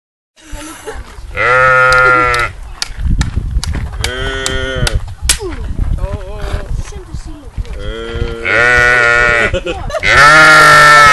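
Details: Crazy loud sheep at Calistoga Geyser giving long, harsh, wavering bleats, three strong outbursts each lasting about a second, with people talking and laughing in between.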